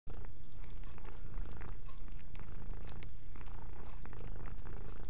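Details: Mia, a pet cat, purring steadily while cleaning herself indoors; a continuous low rumbling purr with soft rhythmic pulses throughout, close to the microphone, with faint licking sounds.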